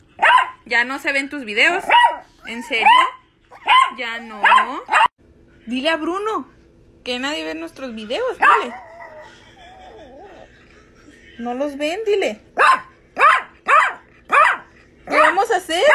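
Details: Chihuahua named Frida, coaxed in Spanish to repeat a trick, gives rapid bursts of yips and yodelling, talk-like barks, interleaved with a woman's voice saying "otra vez" and asking questions.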